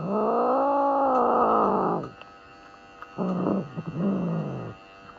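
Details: Norwegian Forest Cat objecting to grooming during a vet checkup: one long, loud, low moaning wail lasting two seconds, then a rougher, broken growling yowl after a pause, against a constant electrical hum.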